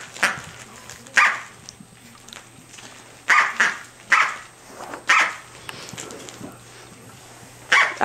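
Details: Corgi puppy, six to seven weeks old, playing with her toy duck indoors; short sharp high barks come singly at irregular gaps of one to two seconds, with a woman talking to the dog between them.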